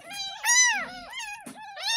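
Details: Ten-day-old kitten found in a drain in front of a house, getting its first bath. It gives loud, high, wavering mews, each rising then falling, about four within two seconds, with short gaps between them.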